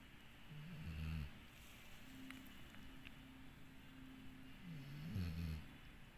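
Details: Sleeping dog named Dixie snoring softly, with a low snore near the start and another about four seconds later, faint clicks and a quiet hum in between.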